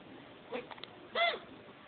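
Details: Male pet chinchilla with hiccups just after mating: a few faint soft ticks, then a single short squeaky hiccup with a bright ringing tone, over quiet room hiss.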